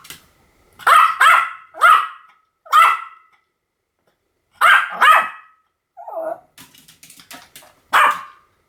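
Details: Pomeranian giving clustered high-pitched barks, then a soft whimper and a patter of light clicks before one last sharp yap.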